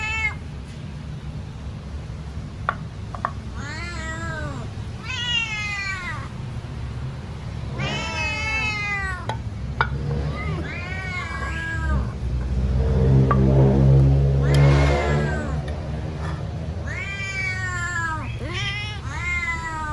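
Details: Hungry house cat meowing loudly while waiting for its food; a long series of repeated meows, roughly every second or two, with a brief rumbling noise midway and low hum throughout.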